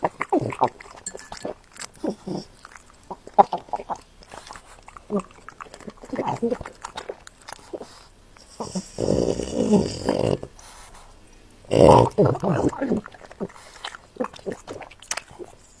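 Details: French Bulldog eating, recorded close up as ASMR. Wet smacking and crunchy chewing come in quick irregular bursts, with a longer, louder stretch of mouthing and a sharp crunch near the end.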